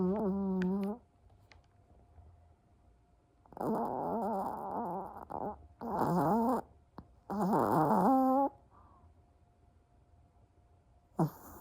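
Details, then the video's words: A sleeping Chihuahua snoring: three long, wavering, nasal snore bursts of one to two seconds each, separated by quiet pauses, with a short tonal burst at the start and a brief one near the end. "Chihuahua Snores"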